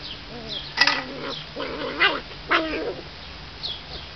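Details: Puppies at play give a run of short, high whining yelps and squeaky yips, several bursts over a few seconds with rising and falling tones, against a steady low hum.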